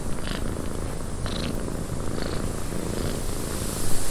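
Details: Deep, steady purring from a cat in a windy cabin, a low buzzing rumble with a constant breathy wind hiss and a few brief, faint higher-pitched rustles.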